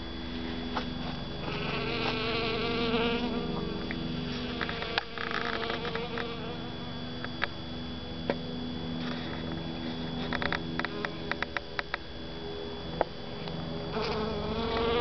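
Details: Honey bee gathering pollen inside a Zantedeschia (calla) flower, where many small flies also gather. A continuous humming buzz with layered tones rises and falls, broken by scattered sharp clicks and taps.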